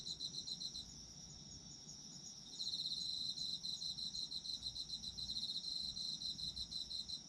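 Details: Autumn insects calling in a sleep-oriented nature recording: a dense, high-pitched chorus of trilled pulses near the top of the range, rapid chirps repeating about three times per second, swelling louder after a quieter opening stretch.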